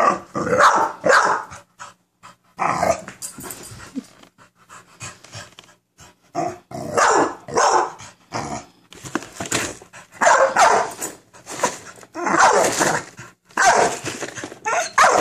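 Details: Facing a cereal box, Minerva, an American Bully, lets out loud, rough barks in uneven bursts, with lower growly stretches and short silences between volleys.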